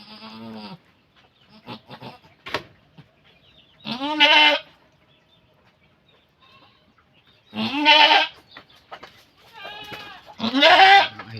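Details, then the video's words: Goat while giving birth, with people helping the delivery; loud, harmonic, wavering bleats sound roughly every three to four seconds, about four in all, with quiet rustling and faint voices in the gaps. "ACTUAL NA PANGANGANAK NG ATING KAMBING"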